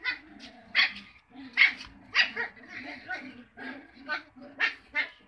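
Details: Cocker Spaniel puppies giving a run of high, sharp yips and short barks, roughly one every half second to second, with voices talking alongside.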